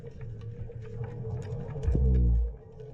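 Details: Two big black drum drum underwater beneath a bridge by a channel, over a bottom of shells and barnacles, early in the season: a deep, booming croak that swells loudly, then fades.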